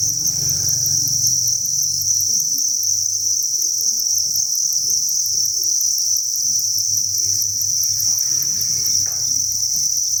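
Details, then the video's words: Crickets on a cricket breeding farm, thousands together, give a steady, high-pitched, continuous trill that barely pauses. "Cricket Chirping Sound and Egg Laying"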